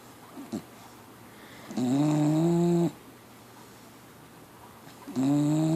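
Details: Sleeping pit bull snoring like a grown man: loud, buzzy, harmonic snores about a second long, pitch slowly rising within each, repeating roughly every three and a half seconds with quiet breathing between.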